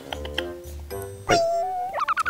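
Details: A Chihuahua gives a high, bird-like whine, then a run of short squeaky yips, over background music, fawning on its owner in the morning after eating.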